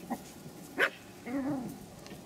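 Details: Three-month-old Pomeranian puppies at the Elenhouse kennel in Kyiv, Ukraine: a brief high yip, then a soft, arching, harmonic whine that rises and falls over about half a second, with faint room hiss.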